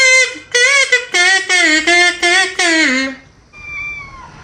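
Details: Usually silent, a house cat meows eagerly on hearing a sound it likes: about seven short, rich, closely spaced meows, the last one sliding downward. A thin, steady electronic tone then sounds alone.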